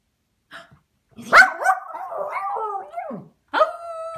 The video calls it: Cairn Terrier Glargle Barking